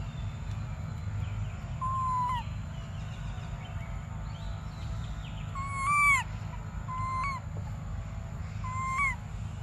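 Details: Desperate baby monkey Briar pleading for milk with repeated plaintive cries, each a level whistle ending in a sharp downward drop, one rising into a strained squeal, over a low rumbling background.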